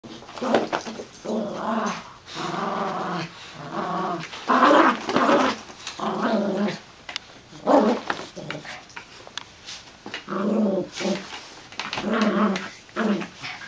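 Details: Golden retriever puppy and chihuahua-dachshund mix, two dogs at play in a tug-of-war over a toy, growling in long rumbling bursts every second or two with brief pauses between pulls.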